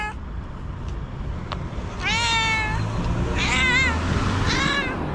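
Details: Angry, nervous white domestic cat, female, giving three clear meows, the first a rising-falling wail, the next two shorter wavering cries, with a few soft clicks and a constant low outdoor hum behind.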